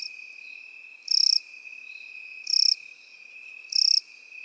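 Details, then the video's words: Crickets and grasshoppers in field grass. Short, high, buzzy pulsed chirps repeat about every one and a half seconds over an unbroken, steady, high-pitched whine. "Сверчки и кузнечики в полевой траве"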